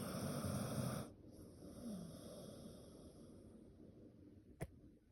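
A dog snores with a rough, low rattling breath followed by a softer, wheezy exhale.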